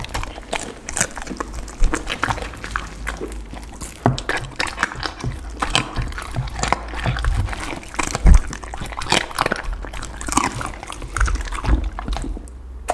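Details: Close crunching as a pit bull dog chews raw chicken, duck and cauliflower: sharp, irregular bites and snaps packed tightly together, with a heavy thump around the middle.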